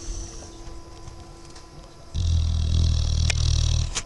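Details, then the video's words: Dogue de Bordeaux puppy dozing half-asleep, snoring: a quiet low rumble for two seconds, then a loud, deep, rasping snore that holds steady for nearly two seconds before cutting off, with faint hissing overtones. "Бордоский дог спит и поражает своим храпом"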